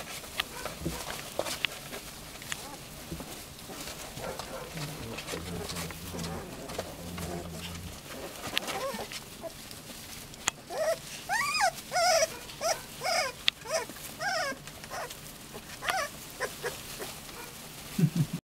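Hungarian Vizsla puppies give high, arching whimpers and squeals in quick, uneven bursts.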